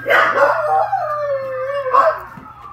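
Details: Corgi (Canis familiaris), howl: responding to sirens.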